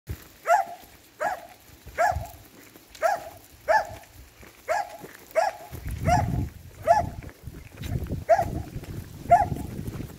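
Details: Finnish Lapphund barking steadily, about eleven sharp mid-pitched barks in ten seconds at uneven spacing, with low rumbling background noise growing in the second half.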